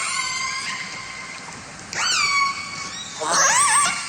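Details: Killer whale calls from a Vancouver population, where each family has a distinct learned group repertoire: a long, steady nasal tone, a sharp upswept squeal, then a wavering rising-and-falling squeal over soft background hiss.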